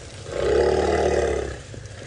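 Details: Adult female African elephant in a wild herd, calling to a newborn calf that has just tumbled down a hill to check it is okay: a single deep, steady, droning rumble lasting over a second, swelling and fading.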